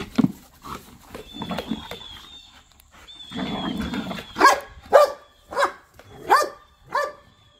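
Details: Playful pit bulls and a Malinois wrestling outdoors in a back yard; soft growling rumbles open the recording, then five sharp barks ring out roughly once a second toward the end.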